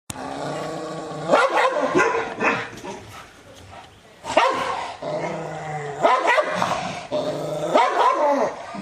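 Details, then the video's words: Angry Rottweiler barking toward the camera or an off-screen sound: deep, harsh barks in bursts of two or three, with growly rumbling between bursts and short pauses. "Angry Dog Barking Sound | Barking Sound Effects | Rottweiler"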